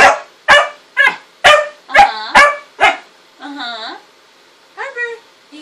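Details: Pet dog barking indoors: seven sharp, loud barks about every half second, followed by drawn-out, wavering whine-like howls and a short yelp, with Korean speech nearby.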